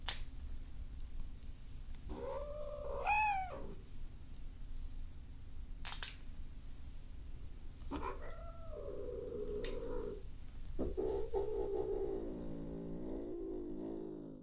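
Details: Domestic cat getting very upset during nail trimming indoors, letting out several drawn-out complaining yowls, one rising sharply, later long low wavering moans, with occasional clicks of clipping between calls.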